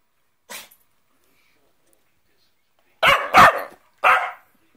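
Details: Cockapoo told it is in trouble for taking a cushion gives one short faint bark, then after a pause three harsh, noisy barks in quick succession. The owner scolds it before and after.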